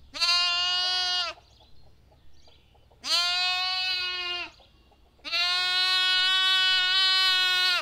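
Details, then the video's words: Three bleats from a lamb: two baas of over a second each separated by short pauses, then a longer sustained baa running to the end, each nasal and steady in pitch. "Lamb Baa"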